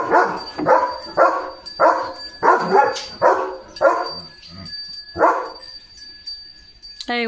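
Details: Leo the German Shepherd, enjoying a rural morning around the fields, gives a fast series of about nine harmonic barks that then thin out and stop, ending with a brief rising whistle-like sound.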